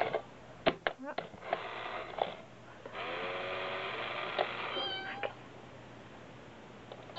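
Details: Indoors in Osaka, Japan, brother and sister cats pry at and push a cat coin bank; a drawn-out rising meow follows a long burst of rattling, with tapping knocks and a faint human voice.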